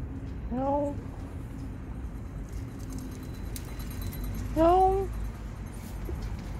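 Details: Tiny stray kitten, lost and hiding under a car, gives two plaintive rising-then-falling meows roughly four seconds apart, with quiet background hum between them.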